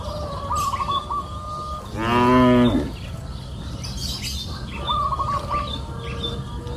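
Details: Cattle in a green pasture on a hill in the afternoon; one loud, drawn-out low moo lasting about a second, with birds chirping and a faint whistled call repeating in the background.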